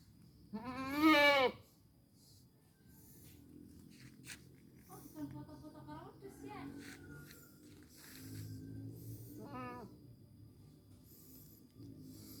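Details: Goat kept for slaughter at Lebaran, calling with one loud wavering bleat near the start, then quieter conversation and a shorter second bleat later.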